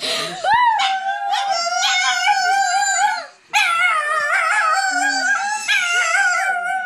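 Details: Pet dog howling in response to children howling at it. Sustained, wavering howls in overlapping voices fill the recording, break off briefly near the middle, then start again just as strongly.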